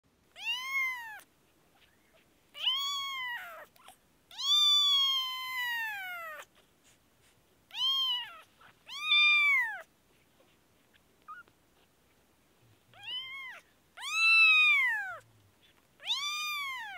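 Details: Kitten with an infection, a newborn from Kashmir, giving long arched meows with rich harmonics, about a dozen calls spaced irregularly over the stretch, some drawn out nearly two seconds, in a quiet room.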